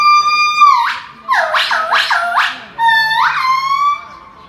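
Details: A monkey in Macau gives loud, pure whooping calls that hold a steady note, then swoop down and back up.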